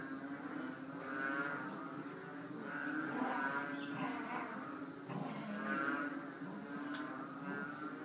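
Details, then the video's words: Three-inch frogs, locally tugak, calling together in a dense mooing, cow-like chorus; layered low groaning notes swell and fade in waves over a continuous background hum, with a thin high-pitched tone running steadily above. "Tugak strange sound"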